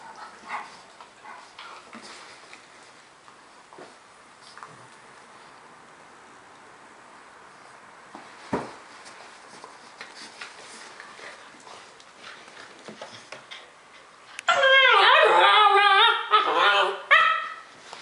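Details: Rhodesian Ridgeback named Kito playing with a Dogo Argentino puppy named Luna; soft scuffles and brief snorts, then a loud harmonic barking and growling burst near the end, repeated rapidly.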